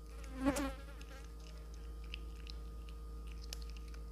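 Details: A cat eating fried fish gives one short, harmonic mew near the start, then quiet chewing clicks and smacks over a steady electrical hum.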